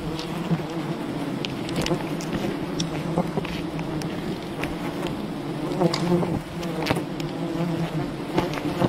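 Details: Wild bee colony raided during honey hunting: a dense, steady swarm hum with low droning bands, sharp clicks and knocks scattered throughout, and a brief surge in loudness near the six-second mark.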